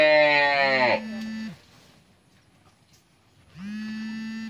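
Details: Lowing from a 12-month-old Friesian heifer calf: a loud moo ends in a short flat, steady tone. After a pause, a second, softer, even-pitched moo follows.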